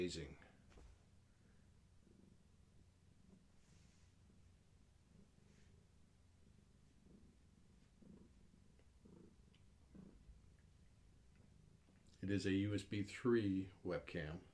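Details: Gaia, a pregnant long-haired tabby cat carrying many active kittens, purring while held: a low, steady rumbling pulse runs for about twelve seconds, then a person talks briefly over it at the end.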